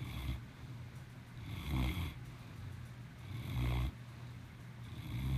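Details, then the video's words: Maximus, a pet cat, snoring: deep rumbling breaths with low buzzy snores about every two seconds, each swelling and fading, the louder snorts around two and four seconds, in a quiet room. "Maximus the king of snores"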